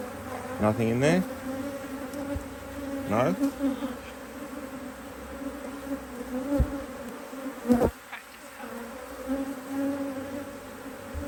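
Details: Honey bees around an open HiveIQ beehive in Australia, almost mid-autumn 2023, as an extra box of empty frames goes on in fine weather. Constant low hum with individual bees zooming past in rising and falling whines, plus occasional knocks.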